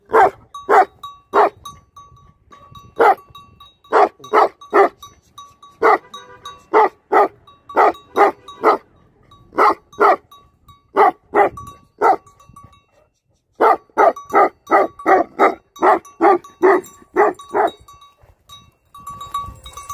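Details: Livestock guardian dogs barking in steady runs of loud, deep, harsh barks, about two or three a second, with one short pause near the middle; a thin steady tone rings between the barks.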